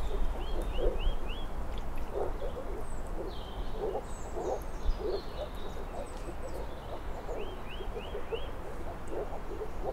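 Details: Moor frogs call in a chorus of low, muffled, bubbling pulses that swell in clumps every second or so. A bird gives a series of four quick rising whistles twice, among other faint chirps.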